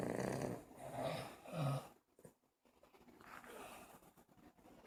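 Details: Buddy the dog snoring while asleep: two rough, rattling snores in the first two seconds, then a pause and a softer wheezy breath afterwards.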